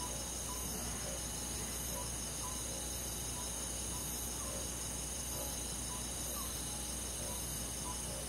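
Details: Summer-night insect chorus of crickets in countryside woods: continuous bright ringing trills layered high, with faint short chirps repeating roughly every second underneath.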